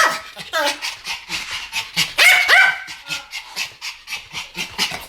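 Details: Two Pomeranian dogs yapping in a duet; fast, shrill barks repeated several times a second, one louder squealing yelp in the middle, a steady stream of small-dog yaps throughout.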